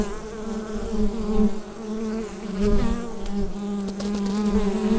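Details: Droning of bees within the hive, recorded using a Rode NT-USB microphone: a constant, thick low hum with small waves of intensity and a few faint ticking sounds.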